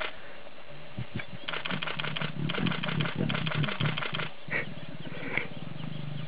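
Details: Lioness in Sabi Sands, South Africa, trying to lure a tired, uninterested male to mate: deep, rough, pulsing growls run in a rapid low throb for several seconds, then fade into quieter rumbling.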